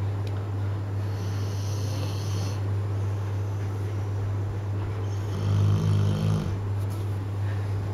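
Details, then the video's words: Bullmastiff puppy aged ten months, asleep and snoring, with soft low breathing over a constant electrical hum and a louder buzzing snore arriving near the end. "Bullmastiff Puppy 10 months snoring"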